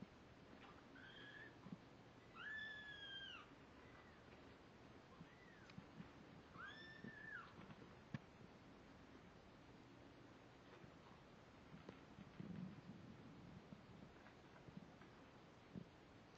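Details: Kittens 17 days old, born on October 31, 2011, that end up wrestling. Several thin, high mews, each arching up then down, come in a loose run over the first seven seconds. Quiet rustling and soft thumps follow.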